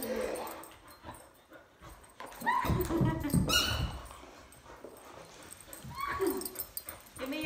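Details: Female Labrador Retriever indoors, unwilling to share her toy, gives short whining tones that rise and fall, one sliding down near the end, while a person talks over her throughout.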